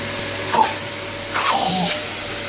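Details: A French Bulldog puppy 'fights' a running hoover, giving two or three short, rough barks about a second apart over the vacuum cleaner's constant mechanical hum.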